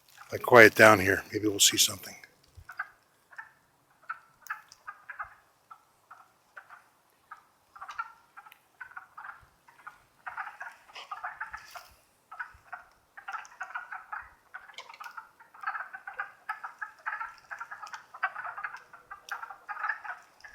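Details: Wood frog chorus in the Longkill Woods in April 2014, spring: a brief human voice at the start, then scattered duck-like clucks that thicken into a steady clacking chorus.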